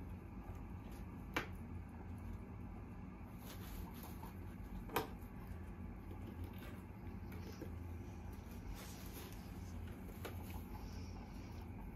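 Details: Quiet indoor room with a low steady hum, a few faint clicks and knocks, and no animal sounds.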